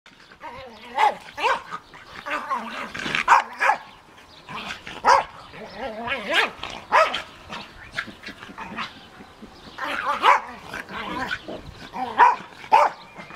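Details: Australian Terrier romping in a garden with a Münsterländer companion; sharp yappy barks and growly play sounds come in bursts, some close together, with quiet gaps between them.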